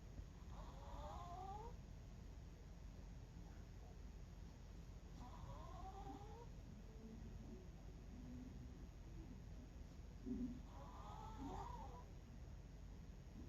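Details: Sleeping 11-year-old Miniature Pinscher snoring: three soft, whistling nasal snores with wavering tone, one about every five seconds, over a low steady room hum.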